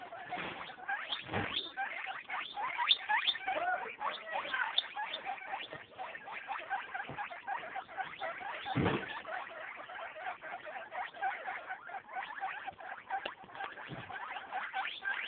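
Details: Baby guinea pigs, eight days old, in a dense, continuous chatter of short squeaks and chirps overlapping throughout, with scattered low thumps and rustling.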